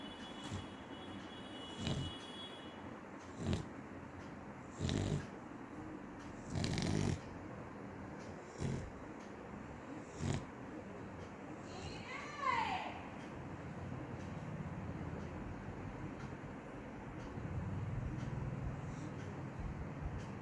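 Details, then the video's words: Sleeping dog snoring, with soft raspy breaths coming in low bursts about every one to two seconds, plus a brief high whistling sweep midway. "cute dog snoring"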